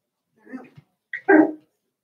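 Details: Seven-week-old Cavalier King Charles Spaniel puppies from Daisy's litter in an indoor home pen: two brief vocal bursts, a soft low whine followed by a louder, higher yelping whimper, then quiet.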